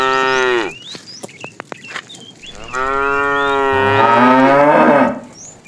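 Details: Tame cows wandering along a road in search of food: a loud moo sliding downward, a pause with clicks and brief bird chirps, then a long, strong, steady moo that swells before fading.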